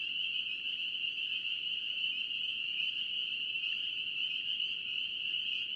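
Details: North Carolina peeper frogs calling together, countless piping notes blending into a continuous high-pitched shimmer that never pauses, over a soft low background hiss.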